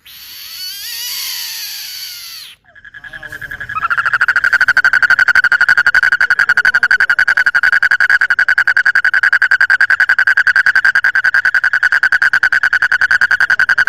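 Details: Frog calling at night: after a brief high hissy sound, a steady rapid pulsed trill starts, a buzzy rattle mid-pitched and continuing without pause for about ten seconds.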